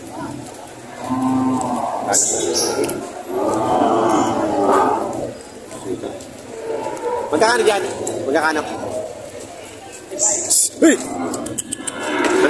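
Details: Lowing cattle among breeding cows and heifers at a Lemery, Batangas livestock auction, Philippines, June 13, 2025. Several harmonic moos, some wavering, overlap with buyers talking and bursts of crowd chatter.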